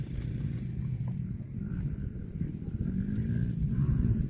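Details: Cattle in a funny cow compilation: a low, droning moo with steady harmonic layers runs through the clip and swells louder toward the end, over a rumbling rural background.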